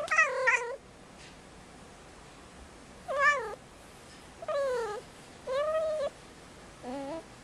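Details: Five-month-old indoor female kitten in heat on Christmas Eve, awaiting spaying: a series of five drawn-out, wavering meows, each rising then falling, spaced one to two seconds apart in a quiet room.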